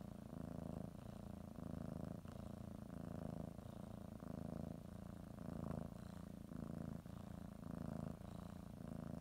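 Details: House cat settling for a morning nap, kneading and chewing a blanket while purring; deep buzzing purr pulsing in regular breath cycles of about a second, with small soft knocks from movement.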